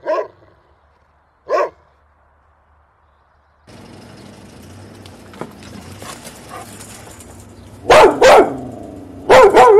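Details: Two isolated dog barks open, then the recording shifts to a noisier scene with broadband hiss, followed by loud, harsher barks with a rising-falling tonal edge near the end.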